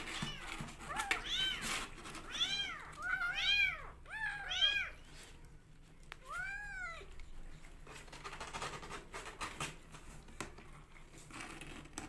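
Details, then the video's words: Several rescue kittens mewing as they fight over bottle feeding indoors: clustered high, arched cries in quick succession during the first five seconds, one more mew near seven seconds, then quiet handling noises. "Rescue Kittens Love To Fight For Bottle Feeding"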